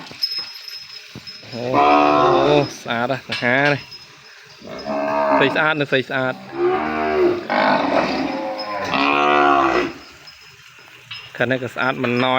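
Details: Calf separated from its mother and kept apart in a pen, crying out for her: loud, drawn-out harmonic bawls in several bursts, some wavering and some short, with quiet gaps between them.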